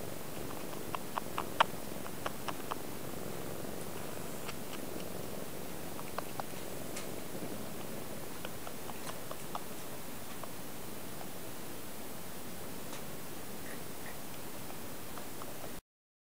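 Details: Kitten named Zuny noisily drinking milk from its mother Peko, a Japanese countryside cat, indoors; soft steady low rumbling like purring throughout with small irregular clicks and smacking sounds scattered across the recording.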